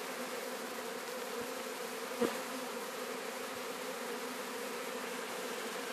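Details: Captured swarm of Sicilian honey bees, Sciacca: unbroken dense buzzing drone with one short knock midway.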